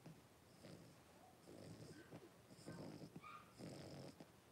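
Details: Cavalier King Charles Spaniel litter of five blenheim puppies with their mother Paris in an indoor pen, January 2023; heavy snoring and snuffling breaths in repeated bursts, broken by two brief high squeaky whimpers.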